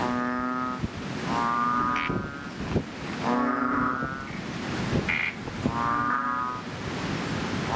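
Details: Chubby frogs in a fishpond just after rain, calling loudly: long, droning, harmonic moans of about a second each, overlapping from several frogs, with a brief higher squeak between calls.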